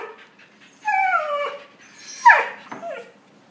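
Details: Young puppies interacting: a drawn-out whine that falls steadily, then a sharp bright yelp that drops quickly, and a short soft whimper at the end, with no other sounds.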